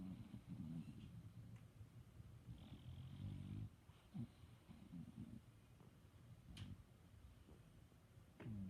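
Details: Sleeping pet dog snoring quietly: low rough rumbles rising and falling with each breath, a few short snorty catches, and a sharp faint click near the end over a steady room hush.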